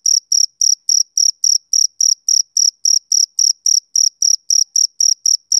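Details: Rhythmic chirping of a male cricket, summer evening; short high-pitched pulses roughly three per second, each slightly buzzy, forming a regular even beat against total quiet.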